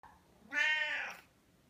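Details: Oscar, a Siamese cat, wanting to be petted, gives a single clear meow of about 0.7 seconds, harmonic and slightly falling at the end, in a quiet indoor room.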